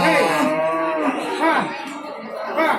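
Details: Local cattle from Lamongan regency at the busy Babat market in East Java, 29 September 2020. A short, wavering low moo blends into the surrounding talk and bustle of the traders.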